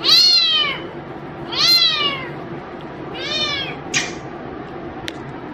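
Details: Playing pet cat meows three times in quick succession, each call bowed and harmonic, followed by a short sharp click and a brief tap in a small room.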